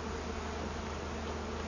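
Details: Honey bees from a wild hive discovered inside a large tree that had been cut down, with the queen being caught; a dense, steady humming buzz of many bees over a constant low drone.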